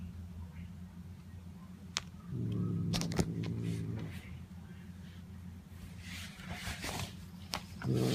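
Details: Notail, a pet cat, vocalizing while being petted: a low, drawn-out harmonic call lasting about two seconds, then sharp handling clicks and rustles, and a brief second call at the very end over a steady low indoor hum.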